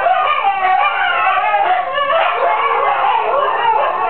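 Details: Female Siberian huskies howling with a neighbour's chickens, a busy tangle of overlapping wails and short yips, voices crowding together with no clear single line.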